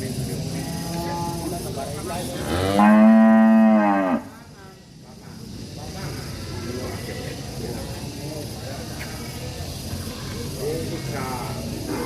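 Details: Village cattle, described as angry, give a faint moo followed by one long, loud bellow around the third second with a strong, steady tone and a slight rise. Low ambient noise fills the rest.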